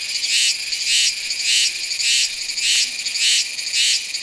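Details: Meimuna iwasakii cicada from Nanzhuang, Taiwan, recorded in September using a Sony A7s3 and shotgun microphone, gives a harsh high-pitched buzzing song that pulses loud and soft in an even rhythm, about two swells per second.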